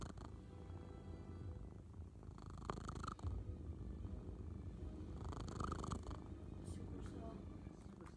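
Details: A loud purr from a male house cat: steady, throaty low-pitched vibration with stronger surges near the third and sixth seconds, a few faint rustles on top.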